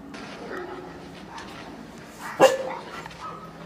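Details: Four-month-old German Shepherd puppy lets out a single short, abrupt bark midway, set against steady low room hiss and faint murmuring.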